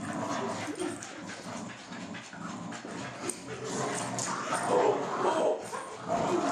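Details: Dog playing tug of war, making dense, rough, noisy vocal sounds in an irregular stream of short bursts, under excited human voices cheering it on and some background music.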